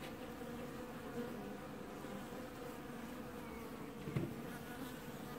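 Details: Steady, many-voiced buzzing of a honey bee colony washboarding at its hive in an apiary, early July 2019, with a single sharp tap about two-thirds of the way through.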